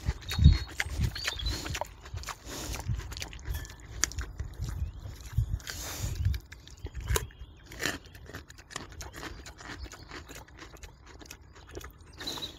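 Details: Wild boar eating a carrot in a forest, smacking as it chews: deep low grunts and thuds, strongest at the start, mixed with wet clicking chews throughout, faint high bird chirps in the background.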